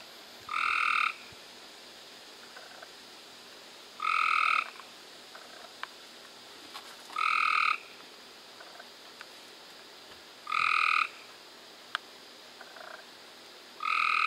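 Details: Cope's gray treefrog calling in May 2016, a rapid raspy trill of under a second repeated five times at steady intervals of roughly three seconds, over a faint hiss of background noise.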